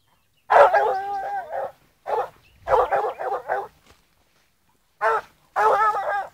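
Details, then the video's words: Fourteen-month-old blue griffon bitch on the trail of wild boar, giving tonal, yelping hound barks in bursts: a drawn-out cry, then a run of quick barks, a pause, and two further bursts, with silence between. "LA GORA(GRIFONA azul 14 meses) en rastro jabali"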